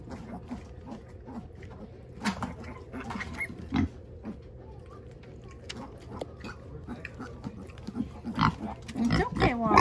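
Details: Pet sow checking on her piglet after its leg was freed from the enclosure rails, inside a house. Soft low grunts repeat steadily, with occasional louder snorts near the end and a woman's reassuring voice.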